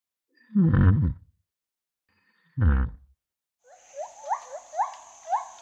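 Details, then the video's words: A domestic yak gives two deep, rough, drawn-out grunts about two seconds apart, followed by a run of higher, rising squeaky notes from another source. "Domestic Yak"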